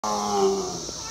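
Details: A tiger at Louisville Zoo in spring 2021 gives a drawn-out, tonal roar with a steady, slightly rough voice.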